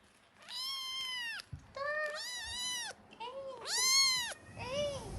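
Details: Kitten meowing: five drawn-out, harmonic-rich meows, several arching up then falling, some overlapping shorter cries, with soft rustling in the background.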